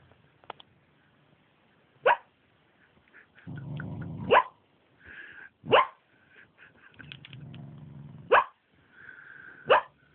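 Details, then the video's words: Napping dog dreaming at midday lets out high squeaky yelping barks, about five in ten seconds at uneven gaps, mixed with low rumbling growls and soft whimpering noises. "Dreams and makes silly squeaky barking noises"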